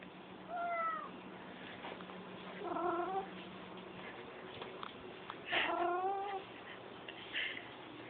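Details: Pet cat giving repeated "Rrrrr?" trilling calls, rolled, rising-then-falling chirps in three bursts spaced a couple of seconds apart, plus a brief higher chirp near the end, indoors with a low steady hum.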